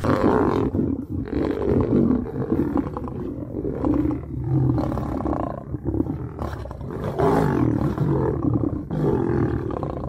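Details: Lions, a male approaching a female to mate: deep, rough roaring and growling in repeated loud bursts of about two seconds, dense low-pitched energy, short quieter gaps between bouts.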